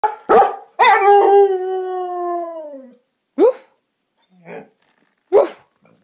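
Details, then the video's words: A vocal husky: two sharp yelps, then a long harmonic howl that holds and slowly sinks in pitch for about two seconds, followed by short scattered barks and a soft grumble. "Mouthy husky!!"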